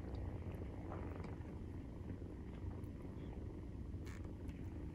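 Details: Low, continuous purr of Maine Coon cats while nursing, kittens 43 days old. The rumble runs unbroken, with a few faint soft clicks and ticks above it.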